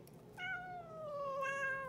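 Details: Talking house cat Boots gives a single clear meow of about one and a half seconds, starting higher and drifting steadily downward, with a slight swell near the end, against quiet indoor background.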